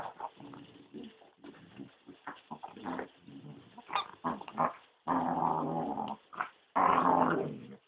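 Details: Corgi growling because it wants a blackberry: rough, gravelly growls in irregular bursts, growing into louder, sustained growling toward the end.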